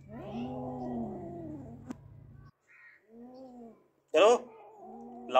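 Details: Two pet cats that have caught a big mouse give long, drawn-out moaning yowls, low and wavering, then a shorter rising-falling wail and a sharp burst. Background music plays throughout.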